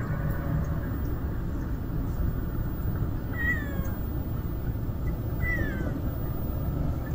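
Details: Two short, bright meows from a stray kitten that will not leave its mother cat. The calls dip and slide in pitch about two seconds apart against a constant low-pitched background drone.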